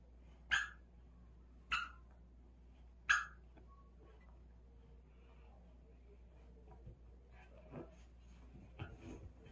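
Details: Pet dog playing with a ball indoors, giving three sharp, loud barks about a second apart in the first few seconds, followed by quiet, scattered soft sounds of movement in a small room.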